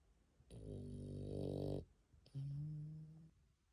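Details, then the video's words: A dog sleeping indoors after coming back from a walk makes two low, drawn-out breathing sounds, the first rough and buzzing for over a second, the second a smoother humming tone, separated by a brief pause. "산책 다녀왔더니 잠 잘오네"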